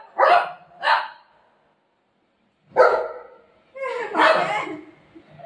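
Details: Golden retriever playfully pestering its mummy: two quick barks, a silent gap, then a louder bark and a longer drawn-out vocal burst, mixed with a woman's Marathi speech.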